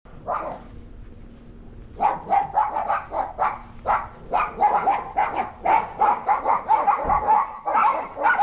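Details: Pet dogs barking at a neighbour's dog they dislike, one that had entered their yard and eaten their food, recorded August 17, 2022; quick sharp barks in an uneven series, roughly two per second, after a quieter opening.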